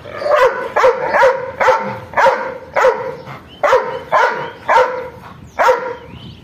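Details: Steady, forceful barking from an angry dog, single deep-edged barks repeated roughly every half second to second over a faint background hiss.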